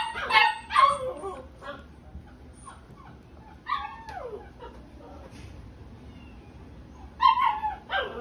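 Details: Dog, a gold-and-white female born in March 2021, giving a few short yelping barks and whimpers, with bursts near the start and again near the end, quieter stretches between and faint background noise.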